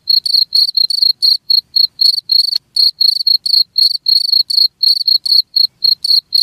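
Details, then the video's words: Cricket calling in quick repeated chirps, each a short buzzy pulse, about four per second, with a single sharp click partway through. "SUARA JANGKRIK UNTUK MENGUSIR TIKUS"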